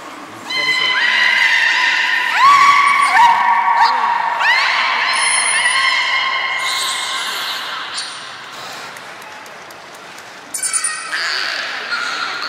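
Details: Beluga whales at Port of Nagoya Public Aquarium on 3 February 2019, around feeding and the play time that follows. Stacked harmonic calls with sliding upsweeps come in bursts, with a quieter stretch near the end and indoor hall echo.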